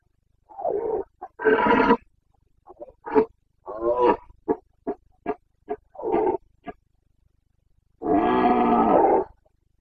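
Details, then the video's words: Carpathian red deer stag bellowing in the Bucovina rut, late September 2022: a long roaring series opening with two loud bellows, then a rapid run of short coughing grunts, ending in one sustained harsh roar of over a second. "Boncănit / Carpathian stag Breeding season 29.09.2022"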